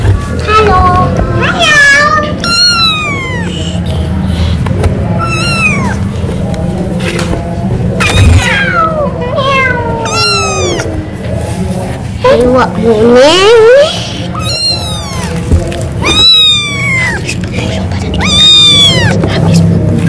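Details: Thirsty kitten meowing to ask its mother for milk while children play with it; a run of high, arching mews with rich harmonics, some rising and falling, over children's voices and a low background hum.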